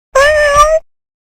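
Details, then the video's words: A cat gives a single drawn-out meow of about two-thirds of a second, holding a steady pitch and lifting slightly at the end, clean against silence with nothing else heard. "Cats Meowing (Meow Sounds ). Cats Meowing Sound Effects."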